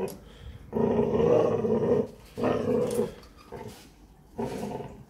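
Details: Presa Canario at a kennel, growling during a morning exercise session: low, rough, sustained growls in bursts of about a second with short pauses between, a brief quieter growl in the middle.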